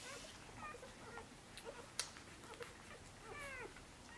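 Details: Six-day-old Korthals Griffon puppies of Djip's litter, active in the nest while seeking milk: faint squeaks early, a sharp click near two seconds, then a louder curved, mewing whine late, with nest rustling.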